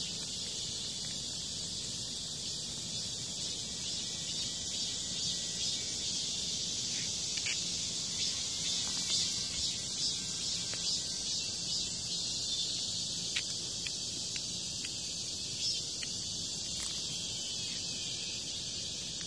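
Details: High, continuous shrill buzz from a cicada being attacked by a hornet near a house, sustained evenly for the whole stretch with faint ticking and a few scattered louder pulses.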